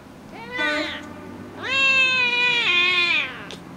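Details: A talkative 12-week-old Oriental Shorthair kitten gives two loud, harmonic-rich, nasal meows: a short one, then a long sustained cry that dips near its end.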